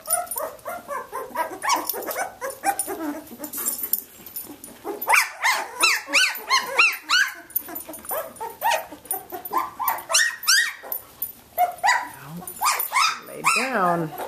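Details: Young Samoyed puppies at 17 days old, Athena's litter, at play inside: a dense chorus of high, wavering whimpers and squeaks from several pups, loud and overlapping, some yip-like bursts toward the end.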